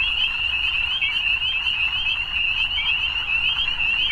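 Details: Many frogs calling together in the evening, their high-pitched pulsing trills merging into one continuous shimmering drone with no pauses, over a soft low background hum.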